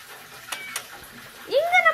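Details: Domestic cat giving a single short meow near the end, an upward-then-falling wavering cry, after two sharp clicks and faint talk in a small room.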